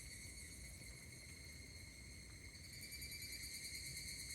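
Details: Higurashi cicada calling at Kashima Jingu shrine, Kashima, Ibaraki Prefecture, Japan, on 16 August 2024; a steady, unbroken high ringing trill with layered overtones runs throughout, over a low rumble of background noise.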